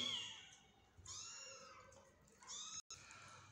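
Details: Hungry kittens whose mother cat is not nursing them, giving faint high mews indoors, three soft drawn-out cries with a brief dropout near the end, low room noise beneath.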